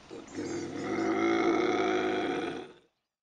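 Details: Bobcat howl used to scare off raccoons and rodents: a single drawn-out, harmonically rich wail that swells over about two seconds, holds, then cuts off abruptly. No other sounds.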